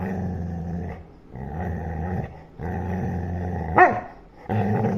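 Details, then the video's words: Playful growling from a Labrador Retriever busy with a ball, low rumbling bursts repeated four times with short pauses, a brief higher yelp near the end, and a person's voice in the background. "Angry Labrador playing with ball"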